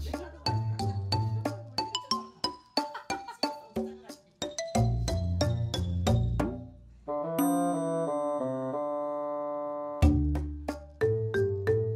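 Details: Melodic music of struck and plucked tones fills the recording, with low bass notes beneath. No animal sounds can be picked out.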